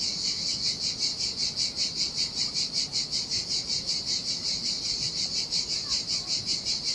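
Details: On a lonely Sardinian beach in summer heat, cicadas keep up a shrill buzzing drone, throbbing in regular beats roughly two or three per second, with faint rolling waves underneath.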